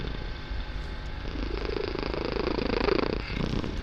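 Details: Kitten purring loudly indoors during a relaxing session; a steady low rumbling purr with a soft, slightly swelling throb and faint room noise.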